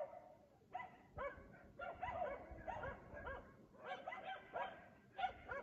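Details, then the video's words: At 3 AM in Aliseda (Los Galaperos), a dog barks as it does each night while its owners sleep; separate loud barks repeat roughly every half second over a low background rumble. "Ladridos de perro a las 3 AM TODAS LAS PUTAS NOCHES EN ALISEDA (LOS GALAPEROS)sus dueños duermen!"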